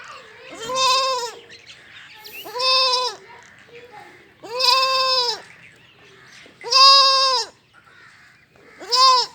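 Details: Young goat kids bleating, five loud wavering bleats of about a second each, spaced roughly two seconds apart, with faint background noise between calls.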